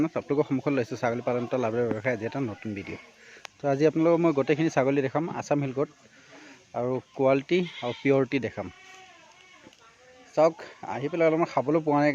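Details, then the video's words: Assam Hill goats on a farm in Assam, India, bleating in a crowded chorus of wavering, quavering calls. The calls overlap in dense bursts with short gaps, and the flock clearly holds several animals. "Assam Hill goat farming"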